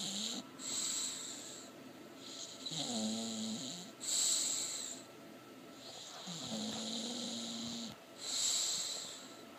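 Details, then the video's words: A sleeping English Bulldog, dreaming, snores in slow cycles, with breathy rasps alternating with low, wavering, groaning tones. "Pebbles the English Bulldog asleep dreaming & snoring"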